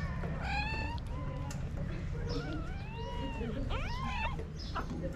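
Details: Sick female kitten with closed eyes, trying to climb onto a hand, among the stray cats cared for in Morocco, gives a run of plaintive, arching meows, some rising then falling, over a steady low hum and faint background noise.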